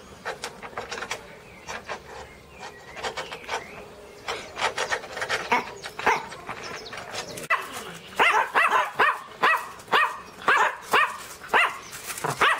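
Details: {'text': 'Pinscher named Teco barking angrily: scattered softer yaps at first, then a loud run of rapid sharp barks about twice a second in the second half.'}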